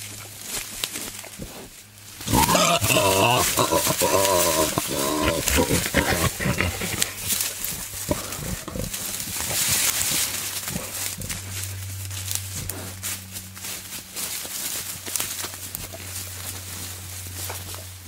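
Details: Wild boar male courting a sow out in the wild, giving a loud burst of harmonic, groaning squeals early on, followed by a continuous low rhythmic grunting rumble amid rustling leaves and footsteps.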